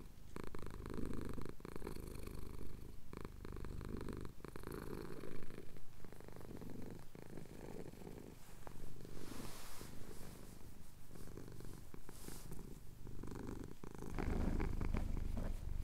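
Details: Purring cat, a male house pet, having his chin scratched while the sun rises over the Cotswold hills; Tascam DR-07X recording. Long even low purr cycling in inhale-exhale waves, with scattered ticks and soft handling noise.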